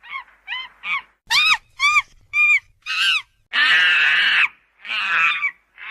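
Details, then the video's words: Monkeys at a UK safari park calling: a run of short, clear, arched hoots repeated about twice a second, then louder, harsh, noisy screeches lasting up to a second. "sounds of monkeys"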